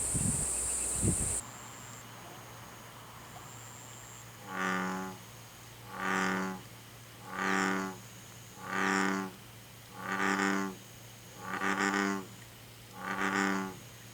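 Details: American bullfrog recorded in Korea: after a burst of handling noise, seven deep, rich, harmonic croaks, each about a second long, come at steady intervals of roughly 1.4 seconds over a constant low hum and a faint high tone.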